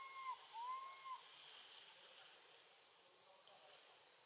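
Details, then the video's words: Baby monkey, a female, crying out for her mother while left with her gentle grandmother: two clear, smooth arched wails in quick succession at the start, then only a constant shrill insect chorus. "Baby monkey screams loudly, calling for her mom when left alone with her gentle grandma"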